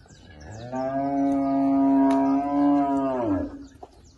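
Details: Girolando heifers bred to a young Girolando bull in Passos, Minas Gerais, Brazil; a single loud, steady low moo lasting about three seconds, holding a flat tone before dropping away at the end, with faint bird chirps behind.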